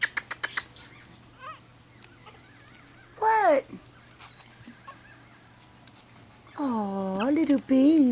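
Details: Pekingese puppies indoors: a short whimper that falls steeply in pitch, then a longer drawn-out whining cry that slides downward and wavers near the end, with light tapping clicks and faint high squeaks between.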